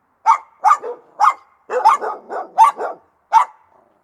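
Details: Rottweiler dog barking aggressively: seven or eight short, sharp barks in four seconds, some doubled with a lower rough tail, spaced irregularly.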